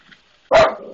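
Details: One sharp, loud bark from a pet dog that hates the maintenance man it is barking at, following a brief quiet moment and trailing into a short rough tail.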